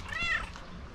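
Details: Talkative, affectionate female pet cat talking to her owner: one brief, bright, slightly rising-then-falling meow, followed by quiet room noise.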